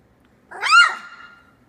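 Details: A lone three-week-old Australian Labradoodle puppy from Tilly's litter, eyes starting to open, lets out a single loud squeal that swoops up and then trails off into a long, level whine lasting about a second.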